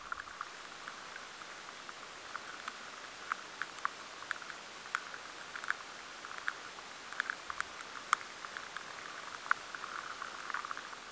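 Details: Lesser grain borers feeding in a batch of stored barley, likened to rain pattering on tarmac: scattered sharp ticks over a soft hiss, in a high-sensitivity recording.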